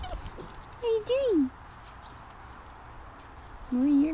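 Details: Athena, a German Shorthaired Pointer puppy playing with an old teddy bear, gives high, sliding whines that wobble and then fall in pitch.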